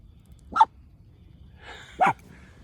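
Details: Miniature Dachshund, one of a family of four dogs out for a walk, frightened on meeting workers: two short, sharp barks about one and a half seconds apart over a quiet background.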